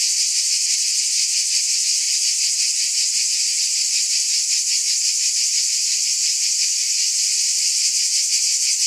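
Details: Unbroken shrill drone of cicadas, hissing and even in loudness, with a rapid shimmering pulse woven through the high buzz.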